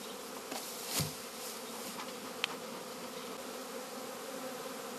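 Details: Honey bee swarm being hived by a beekeeper, to be joined with another colony in the evening: a steady low hum of many bees with a few brief clicks and taps.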